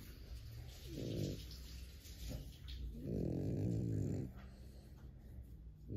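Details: A French Bulldog sleeping between its owner's legs snores in low, rumbling breaths, two long rattling snores a couple of seconds apart.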